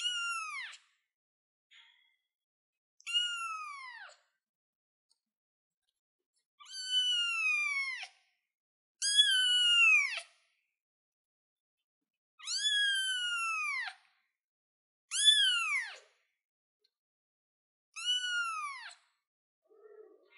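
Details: Kitten sitting on a chair gives high, clear meows that rise then slide downward, seven calls spaced about every three seconds with silence between them.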